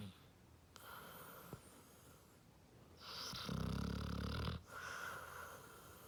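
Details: Otis, a Basset Hound, snoring loudly while asleep indoors: low rumbling rasps with a rough, wheezy texture, a quieter stretch, then a strong drawn-out snore around the middle followed by softer breathy snoring.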